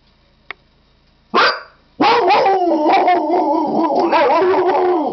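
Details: A Siberian Husky howling: a short harsh yelp, then a long wavering howl that holds steady and wobbles in pitch for about three seconds.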